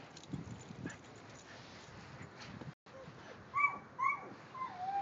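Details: Kerry Blue Terriers Quinn and Keely, silver Keely social and eager to play, meet the next-door dog; after a low murmur of background noise, high thin whines rise and fall in short bursts, ending in a drawn-out sliding whimper.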